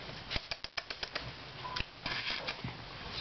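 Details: Indoor tapping and clicking sounds in a small room, irregular knocks and rustling with no animal voice.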